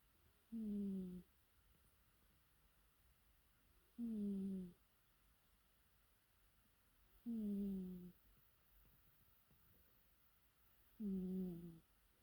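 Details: A cat snores with four separate tonal, slightly falling nasal sounds, each about half a second long and repeated roughly every three and a half seconds. There is quiet background hiss between the breaths.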